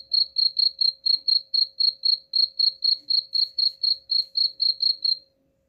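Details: Cricket chirping meant to chase off rats: a regular run of shrill chirps, roughly four per second, stopping abruptly just before the end, with a faint steady hum behind.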